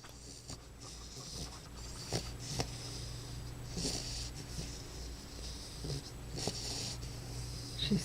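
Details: Young bulldog snoring while asleep indoors: soft, low rumbling breaths with short snorty bursts, and a woman speaking quietly at the end.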